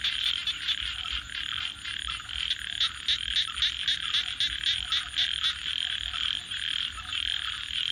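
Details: Frogs at night produce rapid pulsed calls, roughly three or four bursts a second for several seconds, over a continuous trilling chorus and a thin steady high whine.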